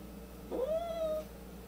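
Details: Angry pet cat indoors, one of two cats including a white one with an attitude; a single rising then level, tense meow-yowl lasting under a second, room quiet around it.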